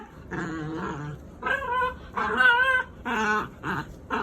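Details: Pet dogs at bedtime give drawn-out, wavering, nasal whines and moaning grumbles in six bursts, each lasting under a second, with brief pauses between them.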